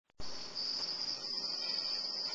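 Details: Quarter-inch crickets sold as feeder insects: a sudden onset followed by a steady, high, continuous trilling buzz that holds unbroken to the end, with a faint low background hiss.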